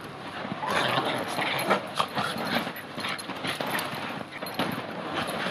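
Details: Two Bichon Frise dogs romp wildly on huge outdoor bean bag chairs on a hotel lawn in Ko Samui, Thailand, playing defend and attack; rough, breathy bursts and scuffling come in quick irregular runs, with a steady hiss behind.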